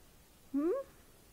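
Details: Mini Mouse, an orphaned female baby grey-headed flying-fox found on her dead mother on the ground beside a road under a large fig tree, in rescue care: one short, rising, harmonic squeak in a quiet room.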